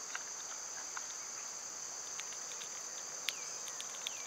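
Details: Cicadas singing in summer amid birds and squirrels: a constant high shrill hum underlies everything, broken by scattered sharp taps and clicks and a couple of brief bird chirps.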